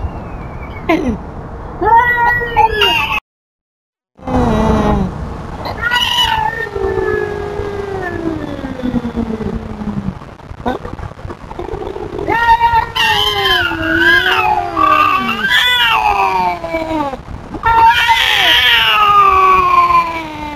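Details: Tubs, a feral cat, telling off an intruding cat: long wavering yowls gliding downward, harmonic and drawn out, with a brief gap, then louder rising and falling wails with rough, harsh edges toward the end.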